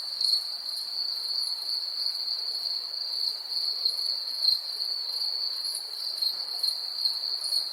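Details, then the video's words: Steady, shrill cricket trilling, one unbroken high band with gentle pulsing and faint upper harmonics flickering, loudness nearly even throughout, nothing else audible. "Cricket insects sound effects"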